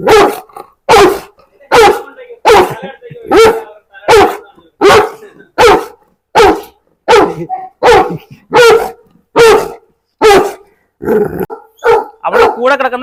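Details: Steady, deep barking from a huge dog billed as the largest in the world, in its kennel: loud single barks repeat roughly every second for thirteen seconds, ending in a few quicker, rougher barks.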